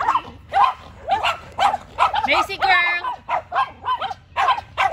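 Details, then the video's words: Barking exchange between Macy the Yorkshire Terrier and two neighbour's dogs: brisk, shrill barks about twice per second, with a brief drawn-out whine partway through. "Macy the Yorkie is out for a Battle of the Bark"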